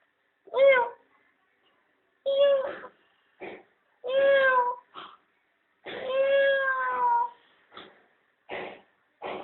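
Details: Cat mother and playful young in the sunshine at home; clear tonal meows, several drawn out and falling in pitch, the longest about a second and a half, alternating with brief clipped mews.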